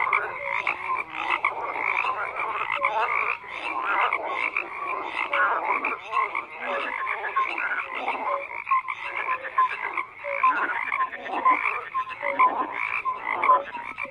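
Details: Numerous frogs croaking without pause, layered rattles and rapid pulsed trills with scattered short whistled notes across the whole stretch.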